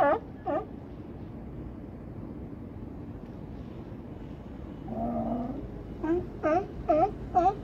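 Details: California sea lions at Crescent City harbor near Battery Point lighthouse; two harsh barks open, then a low moaning call midway, followed by a run of four evenly spaced barks over constant low background rumble.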